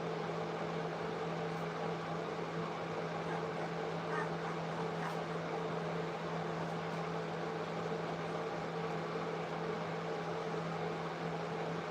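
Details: A steady electrical hum runs under broadband room noise for the whole stretch, with no animal voice standing out.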